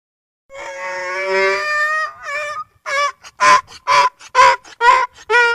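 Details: Donkey braying: a long, steady, harmonic note gives way to a run of loud, rhythmic gasping pulses, roughly two per second, in a quiet setting.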